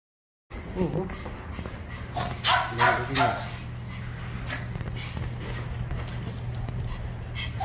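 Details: Dog at a pet grooming salon, one of the dogs visiting alongside golfer Jang Ha-na's dog: a few high, thin yips and whimpers, then a short cluster of squeaky cries, over people chatting and a steady low electrical hum.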